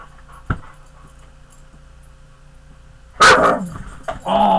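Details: Pet dog described as big and mean, indoors near a bed, letting out one loud, harsh bark after a few quiet seconds, followed by a person talking.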